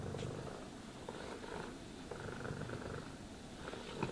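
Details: Cat purring contentedly during brushing and grooming; steady low pulsed rumble fills the whole stretch, faint brush rustle on top.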